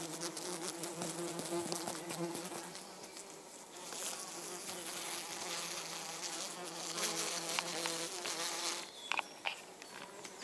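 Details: European hoverflies, three of them including a mating pair, humming steadily for most of the stretch, the drone fading near the end where a few sharp clicks and knocks take over.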